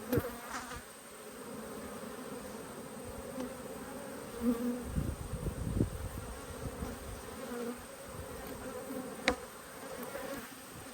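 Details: Colony of honey bees in an open hive during an inspection dated 19/3/22, with good brood present. A continuous low buzzing drone holds throughout, with a few soft bumps and one sharp click.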